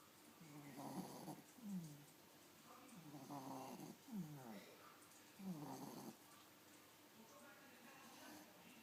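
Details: Miniature Pinscher, nine weeks pregnant, snoring while asleep with uneven, rasping snorts, some carrying a falling whistly tone, spaced a second or two apart in a quiet room.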